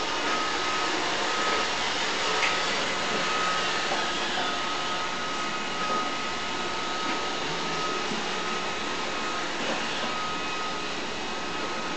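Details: A robot vacuum's loud, even, broadband whirr runs throughout indoors, with a thin steady mechanical whine.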